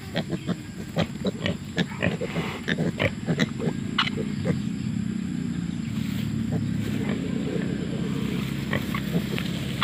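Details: Wild boar sow with piglets sniffing around; brief clipped grunts come in irregular bursts during the first half, then fade into a steady low background murmur.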